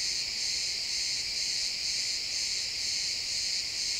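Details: Many crickets chirp together in a pine forest at sunset, a dense, shimmering chorus that pulses gently about twice a second.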